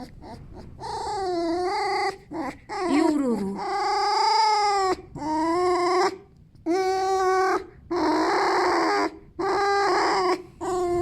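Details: Contented male fox giving a string of whining squeaks, some bending down in pitch, others short and even, repeated with quick gaps over about eleven seconds.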